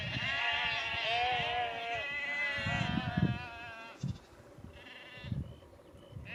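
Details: Sheep on the move down a country lane near Cefn Coch, Powys, Wales, 31 March 2021, called by their farmer; strong wavering bleats for four seconds, then fading to occasional bleats amid hoof and shuffling noises.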